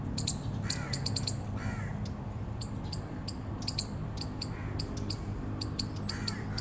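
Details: Rapid bursts of piercing, high chips from an eastern chipmunk, often doubled or tripled, with faint raspy lower calls and a low background drone.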